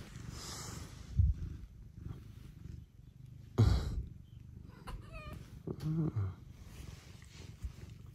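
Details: Early-morning house cat arriving to rouse its owner, purring deep and low throughout, broken by a few sharp knocks and rustles and a short voiced sound near the end.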